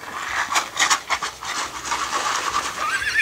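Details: Purebred Lusitano horse at a Brazilian stud farm, recorded 8 September 2019, giving a short shrill whinny in harmonic bursts. Brief voiced pulses rise near the end over a rustling, noisy background.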